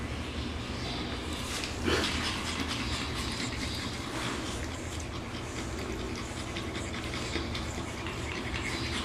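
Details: Five curious pug puppies at the Pugolinos kennel in Fortaleza, Ceará, making noises: steady breathy panting and snuffling runs throughout, with a louder snort near the two-second mark.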